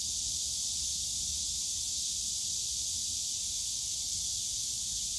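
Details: Loud, continuous cicada shrilling fills a bamboo grove in Yongsan Family Park on a summer day, an even high-pitched hiss with no breaks and only a weak low background murmur.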